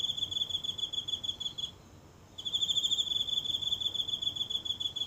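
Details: One insect singing at night from the grassy patch of a small home garden, phone held near: a high-pitched pulsing trill that breaks off for under a second, then rings on steadily in an otherwise quiet setting.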